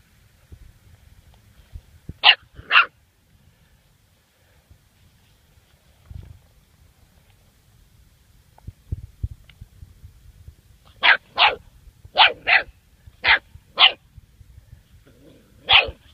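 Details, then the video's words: Duke, a seven-week-old German Shorthaired Pointer puppy, meets a dead bird for the first time: two sharp high barks, a quiet pause, then a quick run of six yappy barks and one more at the end. "German Shorthaired Puppy 1st Bird"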